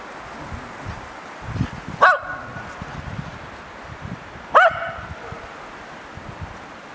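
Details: Snow play at Abetone, Italy, on 10 March 2012, with Atticus the Tibetan Terrier barking twice, roughly 2.5 seconds apart, short punchy barks over soft crunching footsteps in snow.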